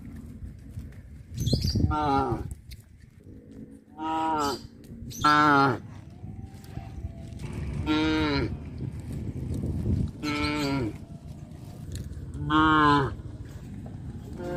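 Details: Cows being herded back to their pen through a fish pond area moo repeatedly, each call a loud, drawn-out, harmonic bellow about a second long.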